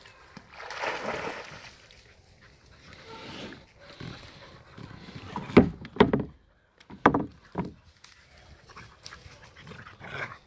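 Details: Heideterriers Willy II and Wilma von der Lönsmeute, father and daughter, playing outside the hunting season; rough growling, grunting play noises rise in bursts with a few sharp yelps, with rustling between.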